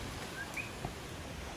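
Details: In El Yunque rainforest, Puerto Rico, a common coqui, a native frog heard everywhere and named for its call, gives a faint two-note 'co-qui': a lower whistle, then a higher rising one.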